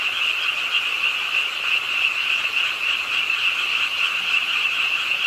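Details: Frogs calling in the rain late at night at a city park pond, Ingye Art Park in Suwon, a crowded chorus of rapid, high, grating croaks running without break over falling rain.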